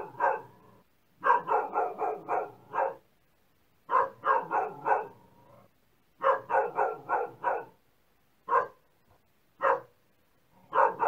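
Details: Repeated dog barking: runs of four to six quick barks alternate with isolated single barks, and the pauses between them are short and uneven.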